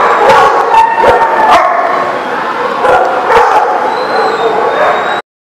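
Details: Several dogs in a dog lot barking and yipping together, a continuous jumble of overlapping barks with occasional sharp yelps, ending abruptly.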